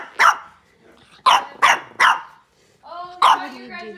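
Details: A miniature Boston Terrier puppy, told by its owner to stop barking during play, gives short, sharp, high-pitched barks in a quick series.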